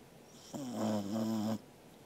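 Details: One long buzzy snore from Angela the sleeping Corgi, about one second, steady and slightly wavering in pitch, in a quiet room; dated 13 August 2021.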